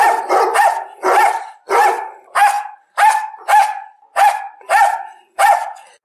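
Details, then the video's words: Dog barking in a steady series, about one and a half barks per second, each bark sharp with a rising then falling tone, short gaps of quiet between them. "El sonido del perro.Ladridos de perros."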